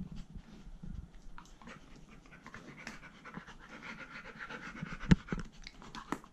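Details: Pet poodle panting indoors in a small room, one of the poodle brothers Iruma and Dory sharing the house while naughty Dory roams on a leash; soft breathy rhythmic huffs with a few sharp clicks and knocks.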